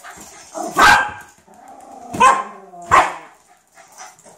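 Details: Cairn Terrier playing with a ball, giving three sharp, bright barks spaced about a second or more apart, over a low background hum with faint rustling between them.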